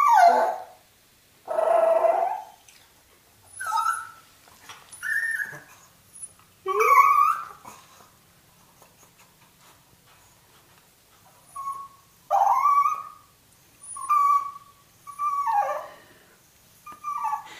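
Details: Several Toy Fox Terriers react to a turtle coming out of its shell on their first meeting. Repeated high whimpers, yips and a few short barks arrive in bursts separated by brief quiet gaps.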